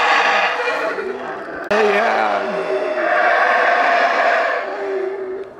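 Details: Howler monkeys calling at Xunantunich Mayan ruins, Belize, unenhanced recording: loud rasping roars with wavering low tones, a sharp break near two seconds, then a continuous harsh chorus that fades at the end.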